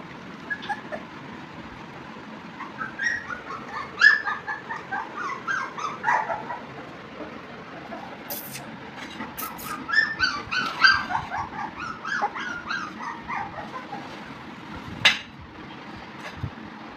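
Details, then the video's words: Labrador Retriever puppies at play give scattered high whimpers and short yips in loose clusters, quiet in the opening seconds and again near the end, over a low background hiss. "Cute Labrador puppies playing"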